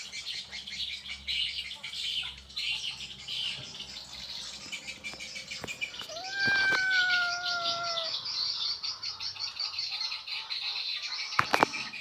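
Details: Cat in Indonesia calling because it wants to mate with an Asian leopard cat: one long, drawn-out, slightly falling meow with rich overtones, lasting about two seconds, over a steady high-pitched chorus of insects or birds.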